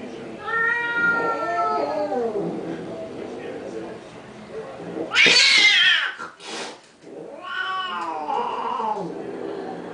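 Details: Cats fighting over a car: harmonic, wailing yowls that bend up and down, interrupted by a loud harsh spitting burst, then another rising and falling howl.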